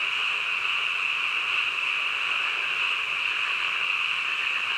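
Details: Midnight chorus of frogs, many voices blending into one continuous shrill, even drone that holds at the same pitch and volume throughout, with no breaks and nothing else standing out.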